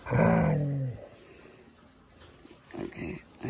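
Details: A female dog learning to sing Manamana gives a short, low, grumbling howl of about one second that slides downward. It is followed by quiet room noise and several faint soft thumps.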